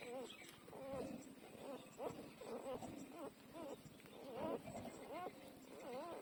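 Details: Newborn puppies twelve days old, nursing, give thin wavering squeaks and whines that rise and fall around a steady mid pitch, sounding roughly every second or two across the stretch, with soft rustling beneath.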